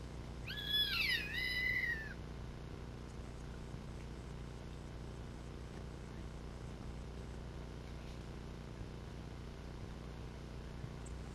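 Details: A Roosevelt elk (Cervus canadensis roosevelti) walking past the camera with its herd gives one high, squealing mew that rises and falls, followed by a steady low rumble.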